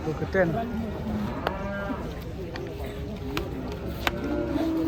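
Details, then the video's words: Cattle, large fattened cows being unloaded from a truck, low drawn-out moos with harmonic bands early on, amid steady background rumble, clanks and faint voices. "KUMPULAN SAPI MONSTER TURUN DARI TRUK 2023"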